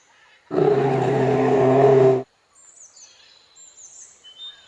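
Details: A bear, shown with its cub, gives a single harsh, rumbling growl lasting about one and a half seconds, rough and steady throughout, followed by quiet high chirping of birds in the background.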